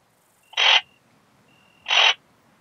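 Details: Ringed bush-cricket (Rhacocleis annulata) singing at Biedermannsdorf, Austria, on 8 August 2022, possibly picked up through a Pettersson D 100 ultrasound detector: two short, harsh, broadband rasping bursts about 1.3 seconds apart, with a faint steady tone between them.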